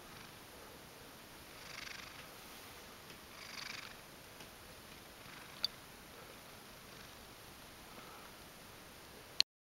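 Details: Mojio, a Ragdoll cat kneading and being affectionate after waking, purrs softly in breathy bursts about two seconds apart, with faint clicks and a sharp knock at the very end.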